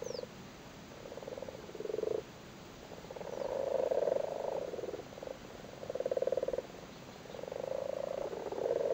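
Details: A group of frogs on their spawn in a flooded cattle grid in Cork, Ireland, in spawning season: a steady run of grating, pulsed purrs, bursts overlapping and following one another with brief pauses.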